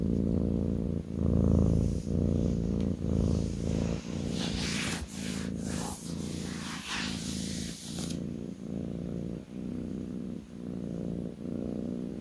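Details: Purring kitten settled on its owner's lap: a deep, rhythmic rumble in roughly one-second pulses, with a few seconds of rustling, brushing noise partway through.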